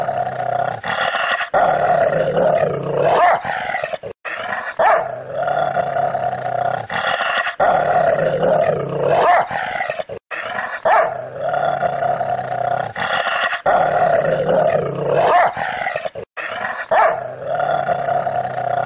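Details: Rottweiler growling in long sustained rumbles with harmonic bands, broken by short pauses and occasional sharp bark bursts, a pattern repeating several times across the recording.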